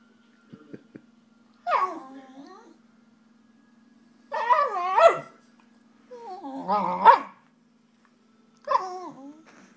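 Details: Nobu the Shiba Inu talks to his foster dad in four bursts of yodel-like, bending moans and grumbles, each a second or so long with gaps between, plus a couple of faint clicks early on and a steady background hum.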